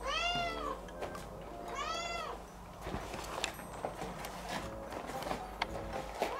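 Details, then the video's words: Cat left home alone crying plaintively, from a household of Scottish folds and a British shorthair: two long arched meows about two seconds apart, followed by clattering, tapping household noises and a faint final cry. "切ない鳴き声で、外出ができなくなっちゃう動画… you can't go out home if you watch the cat crying loudly"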